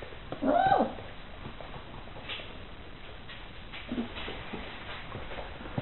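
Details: Four Irish Water Spaniel puppies play indoors with their bichon frise companion; one short, high whining yelp with clear harmonics rises and falls in under half a second near the start, then scuffling, paw patter and faint soft squeaks follow.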